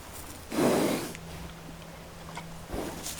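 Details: Horse, played for dog noise desensitization: one loud, breathy snort lasting about half a second, with a quieter rustling breath after it and a faint second puff near the end. A low steady hum runs underneath.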